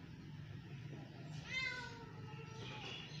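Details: Two pet cats, one little and one big, playing together: a single drawn-out meow with a falling tone near the middle, over steady low background hum.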